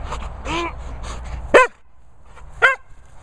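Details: Sprocker Spaniel giving two loud, sharp barks about a second apart, preceded by softer, drawn-out tonal vocal sounds and low background rumble.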